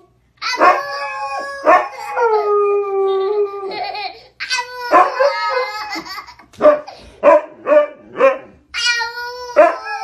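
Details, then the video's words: Pet Siberian Husky vocalising back at its owner, a chattering mix of sustained falling howls and choppy yodel-like yips, about five bursts spaced irregularly across ten seconds, ending in short clipped woo sounds. "Husky hablando con su amo"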